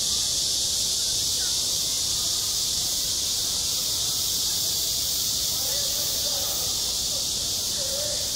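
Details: On a school playground in summer, cicadas keep up a constant shrill, hissing buzz, while muffled voices sound faintly in the background, a little clearer near the end.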